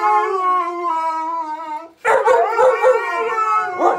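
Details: Siberian Husky or husky mix, one of a group of dogs: a long steady tonal howl with rich harmonics for about two seconds, then overlapping howls and yips from several dogs.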